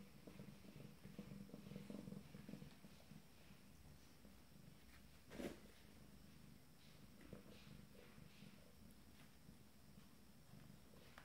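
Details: Abyssinian kittens of a first litter exploring in the morning at 27 days old; a low rhythmic purr pulses for the first few seconds, then fades to quiet rustling and scattered taps indoors.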